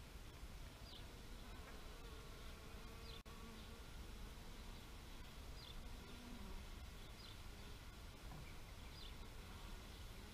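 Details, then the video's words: Bees buzzing softly in a low, steady drone with a few brief louder passes, while small birds chirp faintly in short high notes every second or so in the background. "Bee therapy meditation nature sounds"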